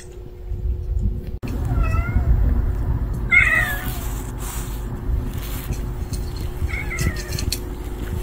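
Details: Street cats in a family group gathered around food, mewing: a soft meow, then a louder, wavering meow over a burst of rustling noise, and a short final meow, with a steady low hum throughout.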